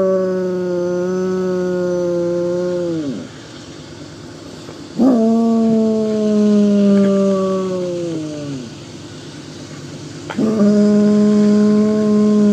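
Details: Basset Hound named Droopy, five years old, howling at a passing train, his only trigger for this sound: three long, steady, mournful howls, each held several seconds and sagging in pitch at the end, separated by brief pauses.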